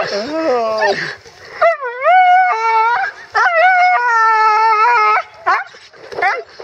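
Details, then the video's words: Roxie, a female Siberian Husky sheltering from a downpour in Staunton State Park, Colorado, whines excitedly at seeing horses: high, wavering, drawn-out whimpers and yowls with rising and falling pitch, separated by short gaps, amid rain noise. "Husky really likes horses"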